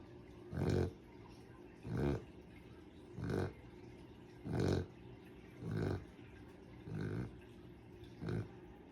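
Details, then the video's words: Sleeping dog snoring: seven broad, rasping, grunting bursts, one roughly every 1.3 seconds, each a noisy low rumble with pig-like snorting texture, separated by quiet breathing pauses. "Zzzzzzzzz #dog #sleep #sleeping #snorting #snoring"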